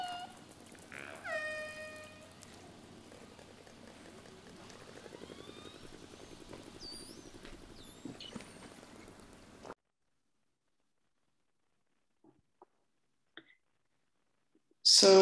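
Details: Northeast Atlantic killer whales give a couple of clicks, then harmonic pulsed calls, then two high, sweeping whistles; such call repertoires vary between populations.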